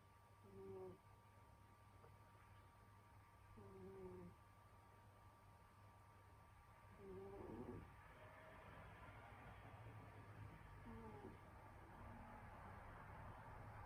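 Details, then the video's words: Sleeping in winter, the cat Senyora Betsy snores in brief, low, humming breaths with a thin whistling edge, roughly every three to four seconds, against a constant indoor electrical hum and rising hiss. "Snoring cat |Pusang humihilik"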